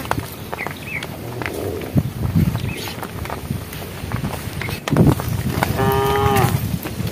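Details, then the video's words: A cow in a herd on a project road, calling to the herd toward nightfall: a single short, harmonic moo near the end, with scattered knocks and rustling outdoor noise before it. "thesound of cows calling the herd"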